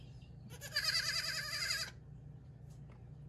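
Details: Baby goat on a hobby farm, bleating while being cuddled: one high, quavering bleat of about a second with a wavering tremble, rising from a quiet background of low hum.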